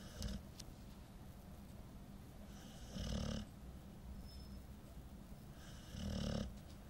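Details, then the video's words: Nine-month-old female Golden Retriever snoring in deep sleep after being very tired; slow, rough, low rasping snores about three seconds apart, each a short breathy swell over a quiet, steady background hum. "the snoring golden retriever"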